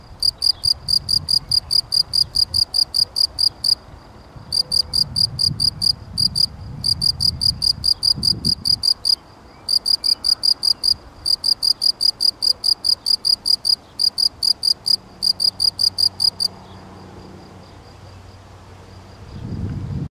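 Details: Steady chirping of a field cricket (Gryllus campestris), trains of evenly spaced pulsed chirps broken by short pauses, stopping near the end; soft low background hum and rumble.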